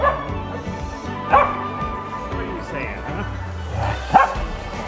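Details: Family dog barking after coming home from a haircut: a few short, sharp barks stand out over cheerful background music and people talking.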